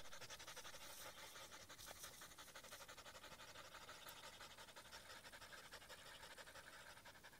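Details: Rapid rhythmic panting from the husky Aiza among reeds, roughly three breathy pulses per second, steady and even from start to finish.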